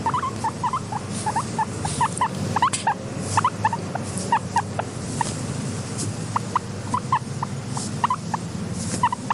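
A guinea pig makes quick, repeated short squeaks in uneven bursts over a low background hum.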